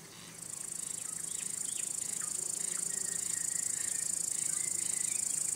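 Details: Crickets trilling continuously in a thin, high, even drone, joined by soft scattered squeaky notes, likely other small creatures nearby.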